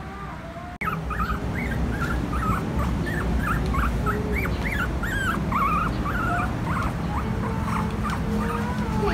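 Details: Three-week-old Pomeranian puppies, filmed 08-11-21, whimper and yip in a dense, uneven run of short, squeaky, rising-and-falling whines, about three per second, over a steady low rumble.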